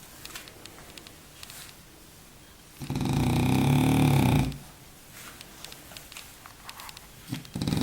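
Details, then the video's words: A napping French bulldog named Baboo snores once in a long, loud, low rasping rumble lasting about a second and a half, set between quiet stretches with faint indoor rustling. "baboo un bouledogue français qui ronfle !!"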